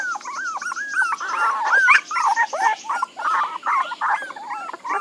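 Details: Puppies crying in continuous, wobbling whines that rise, dip and bend. Several voices overlap into a busy, insistent whimpering chorus.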